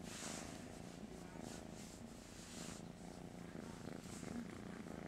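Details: Pet cat Master Shifu purring profusely in the morning, too sleepy to stand and asking for attention; a dense, rapid low-pitched rumble holds steady for the whole stretch with only faint background voice.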